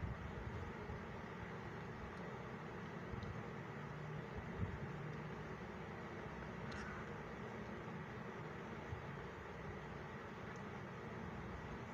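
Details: Steady low rumble of distant traffic or engine noise fills the whole stretch, with no animal voice audible.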